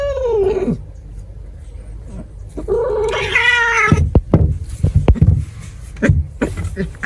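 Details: Cat giving a short falling meow, then a longer strained harmonic cry, followed by scattered thumps and knocking sounds.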